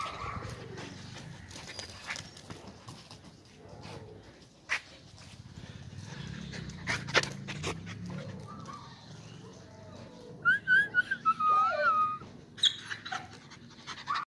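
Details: Samoyed dog in India giving a quick series of high, wavering whines and yelps in its second half over a low background rumble, with a few knocks earlier.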